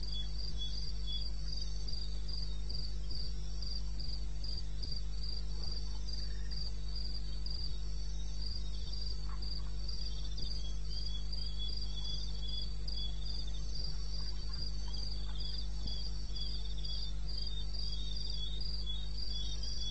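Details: Night recording at 2:30 AM, 21 May, in eastern Botswana wilderness: crickets give steady, high-pitched pulsing trills, many pulses per second from overlapping insects, with a droning low background hum throughout.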